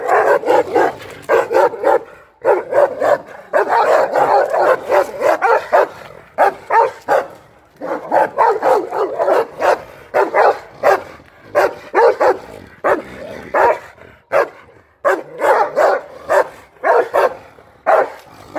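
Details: Dogs, an American Akita protecting his property against a Rottweiler, barking in dense, repeated bursts for most of the recording, short loud barks tumbling over one another with brief pauses, one dog or both not distinguished.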